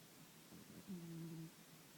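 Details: Leon, a pet cat, snoring: one low, buzzy, drawn-out tone lasting about half a second over steady room hiss.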